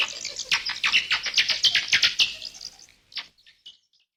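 A bat gives a rapid burst of high, scratchy squeaks that quickly thins to a few chirps.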